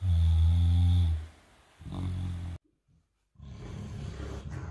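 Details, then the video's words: Henry, a 158-pound Great Dane cross mastiff, asleep and dreaming: deep, rumbling harmonic snores, one long breath then a shorter one, followed by a brief silence and softer, noisy breathing. "my 158 pound great dane cross snoring and dreaming"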